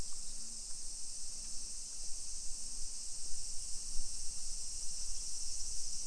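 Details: Cicadas singing in summer along suburban streets of Nisshin, Aichi Prefecture, Japan, early afternoon of 28 July 2021: a constant high-pitched hiss-like whine, over soft low hums that recur roughly every second.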